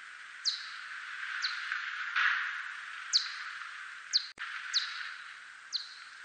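A whiskered bat gives brief, steeply falling clicks, roughly one per second, over a steady hiss.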